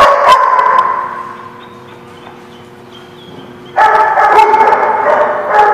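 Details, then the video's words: Several dogs barking at The Barking Lot, 12/3/16. A sharp volley of harsh barks fades into a lull of low hum and faint squeaks. A second loud, continuous barrage of overlapping barks follows near the end. "The Barking Lot"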